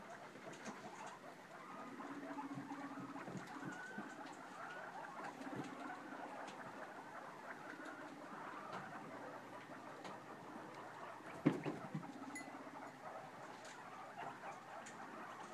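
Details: Guinea pig popcorning in its newly cleaned cage, repeating short low humming chirps every second or two over light pattering and rustles, with one louder knock near the middle.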